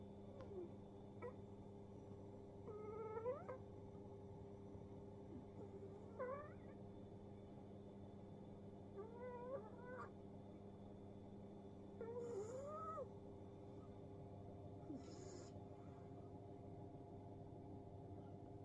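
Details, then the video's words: Cat asleep and snoring in front of a heater as spring approaches, in a multi-cat home; soft voiced snores with wavering, bending tones recur roughly every three seconds over a steady low hum. "暖房前でいびきをかいて寝落ちする猫 A cat sleeping and snoring in front of the heater."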